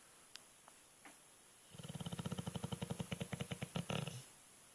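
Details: Alapaha Blue Blood Bulldog, a male pet dog, snoring heavily while asleep: after a quiet start with a few faint clicks, rapid rhythmic rasping snores set in, a steady pulsing rattle of breaths that grows slightly louder toward the end.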